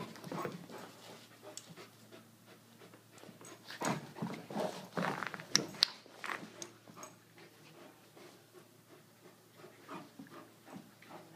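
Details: Brogan, an Irish Wolfhound, playing with Millie, an Aussie-Doodle puppy; rapid breathy panting bursts with scuffling, louder between four and seven seconds, indoors.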